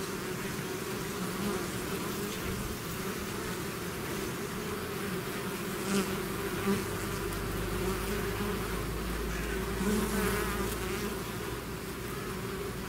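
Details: Bees swarming out of their hive make a continuous layered hum, with individual bees flying close and briefly louder near the middle and end.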